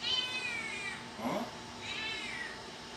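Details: Kitten meowing indoors: two high, drawn-out meows, the first falling and the second arching down, with a brief murmured human voice between them.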